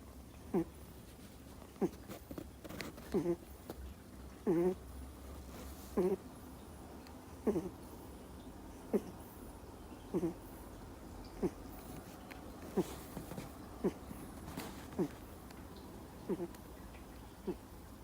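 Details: Two-month-old Miniature Schnauzer puppy fast asleep indoors, snoring in short soft snorts that come roughly every one and a half seconds, some doubled, over a quiet room hum.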